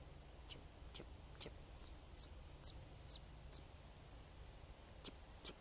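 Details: Eastern chipmunks in the northeastern region give sharp, very high-pitched chip calls all around, about two a second at an uneven pace, over a quiet outdoor hush; calls can stop if approached.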